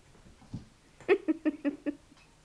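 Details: Spooner, a 10-week-old fluffy corgi puppy, is indoors getting mad at the hardwood floor after chasing a bouncing cat-toy string. He gives five quick, yappy barks in a tight burst, about five per second, after a few soft low sounds.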